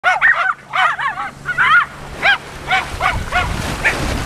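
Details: Four Jack Russell Terriers on Laem Ka beach, Phuket, Thailand, bark in quick, high-pitched yaps, first crowded together, then single barks about every half second, over a broad hiss of wind or surf.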